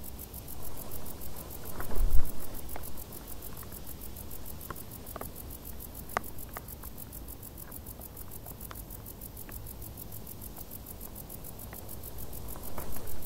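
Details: In tall summer grass, crickets keep up a dense, fast, high-pitched pulsing chirp, joined by scattered light ticks and a short rustling thump early on, all above a low background rumble.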